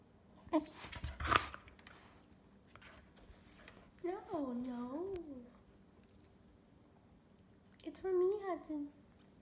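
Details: Hudson, a pet cocker spaniel indoors in a small room, 'talks' with two drawn-out, wavering whine-howls that rise and fall in pitch, separated by a few seconds, while a person nearby tells him something is not for him.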